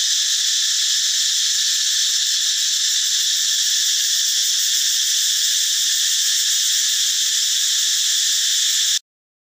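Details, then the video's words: Male cicada calling loudly in the forest, morning or dusk: an intense, even, high-pitched whirring drone that continues for about nine seconds, then stops abruptly into silence. "จักจั่น แมลงเสียงดังแห่งป่า"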